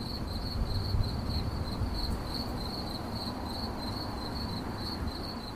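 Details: Cricket chirping in a steady, high-pitched pulsed trill, its beats running in a fast, even stream over a low, continuous rumbling background noise.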